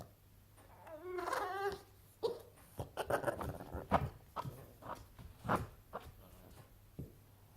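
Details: A male Boston Terrier, unhappy that his toy had gone under the sofa, gives a wavering, warbling, turkey-like moan, then a string of short grunting and huffing sounds.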